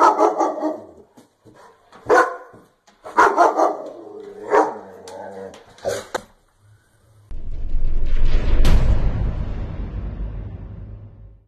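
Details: German Shepherd from Haryana, India, barking in deep, heavy bursts, some doubled, through the first six seconds, then a loud low rumbling noise fills the rest.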